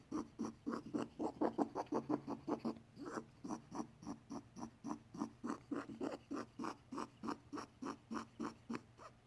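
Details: Weird noises from a pet male bunny, possibly ill and on antibiotics after an unclear vet visit. Rapid rasping pulses at first, then slower and less even, around two per second, with a faint low hum behind.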